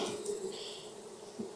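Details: Honey bees in a kept hive in Texas, opened for inspection on a hot day near 92F after three weeks of rain. A steady, low droning hum holds one pitch, with a faint higher overtone and light handling clatter.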